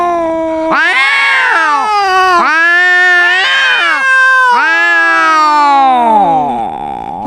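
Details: Domestic cat meowing loudly while arguing with another cat: a steady tone breaks into four long, drawn-out wailing meows, each rising then falling, the last one sliding downward.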